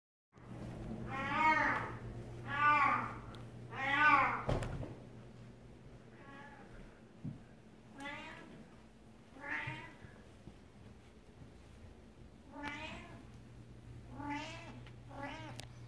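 A Devon Rex cat gives a run of drawn-out, wavering meows with a steady hum behind.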